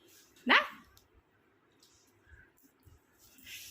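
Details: A pet dog wanting to play after lunch gives one sharp, short bark, followed by quiet room sounds and faint chirps.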